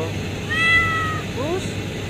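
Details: Cat under a pipe at a refinery site where a mother has given birth: one clear, level meow that falls at its end, followed by two quick rising chirps, with a steady low mechanical hum and brief human voice.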